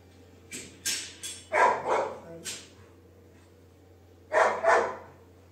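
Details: Pet Labrador Retriever, from a household with dogs Sophie and Duke, giving two quick double barks a few seconds apart, each pair sharp and mid-pitched, over a steady low indoor hum with light tapping noises.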